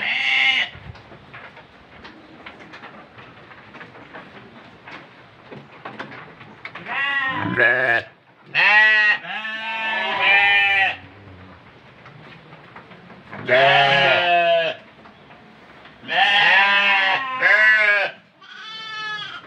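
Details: After about seven quiet seconds of low background noise, a goat kept for Qurban sacrifice breaks into a run of loud, wavering bleats, coming in clusters with short gaps.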